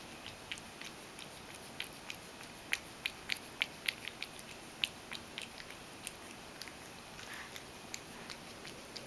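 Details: Ragdoll cat Mojio drinking milk indoors and spilling plenty of it. Sharp, wet lapping clicks come in quick uneven bursts of several per second over a soft room hush, with some gaps between runs.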